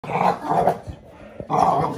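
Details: Five-month-old American Bully puppy growling in play with a five-year-old American Staffordshire Terrier while taking the toy: two rough, throaty growl bursts, the second after a short pause.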